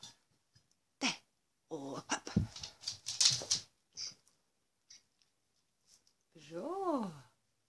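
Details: Pregnant show-champion female dog on day 51 of pregnancy, happy and content after receiving her whelping box: short breathy puffs and low harmonic grunting, then one drawn-out whine that rises and falls near the end.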